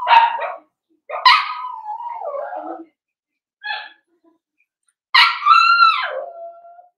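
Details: Young blenheim Cavalier King Charles Spaniels from a litter of five born at New Year's, indoors in a puppy pen, let out sharp yelps and two long wavering howl-like whines that slide downward, separated by silence.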